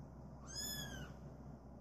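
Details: A single drawn-out, high, slightly arching meow from a cream male British Shorthair cat born 21 January 2017, over a constant low hum.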